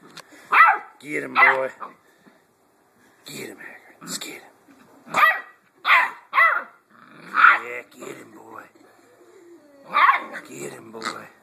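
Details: Hagrid, a 7-week-old Blue Great Dane puppy, plays with a new toy pig he had been avoiding. Eight or nine sharp, high puppy barks and yaps come in uneven bursts, with a person urging him on between them.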